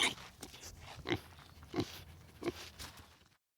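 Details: Domestic pig giving a series of short, rough grunts and snorts, roughly one every two-thirds of a second, fairly irregular, ending in silence.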